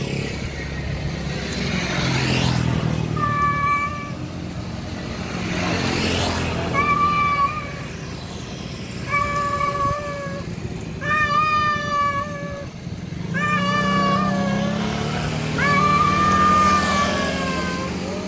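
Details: Persistent series of about seven long, wailing meows from a male cat summoning a wild female, some strained and wavering, spaced two to three seconds apart while vehicles swish past in the background.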